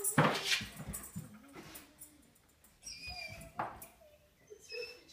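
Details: Claudia, a white German Shepherd, waits impatiently at the door indoors, giving thin, high whines that waver and trail off between loud bumps and rustles near the start, with a human voice briefly heard.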